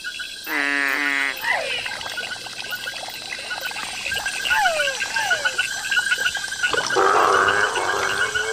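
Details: Frogs and toads of many species calling together at night in Ecuador's tropical forest: a loud pulsed rattling call opens, then overlapping falling whistles, clicks and rapid croaks, ending in a dense harsh burst over a constant high-pitched drone.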